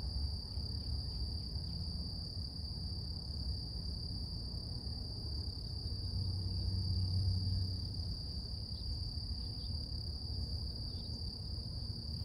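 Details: Sustained high cicada drone on a quiet morning, steady and unvarying, with a low background rumble that swells briefly midway.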